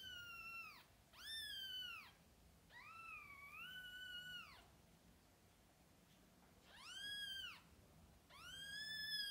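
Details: Mother cat with kittens, newborn to eyes opening; a run of loud, clear, harmonic meows, each about a second long, arching up then falling, in two pairs separated by a quieter pause, indoors with low steady hum.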